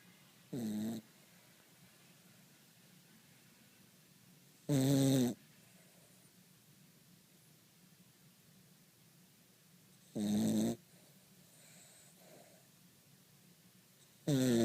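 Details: A sleeping Cavalier King Charles Spaniel snoring: loud, rasping, buzzy snores of about half a second, each separated by roughly five seconds of quiet, steady breathing in a still room.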